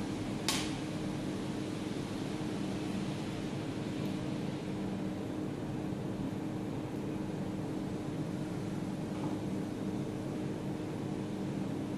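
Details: Steady mechanical hum of a fan or air conditioner fills a small indoor room, with one sharp click near the start and no animal voices.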